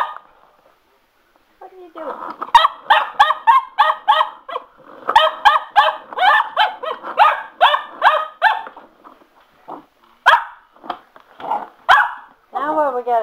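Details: Pet Cocker Spaniel Sugar, indoors and excited by a spin mop, gives fast runs of high barks broken by short pauses, then ends with a whining, wavering cry; mop taps are heard throughout.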